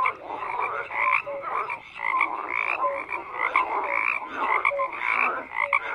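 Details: Many frogs croaking together in a thick, continuous chorus; short nasal croaks and brief whistled notes overlap in bursts, swelling and easing roughly once a second.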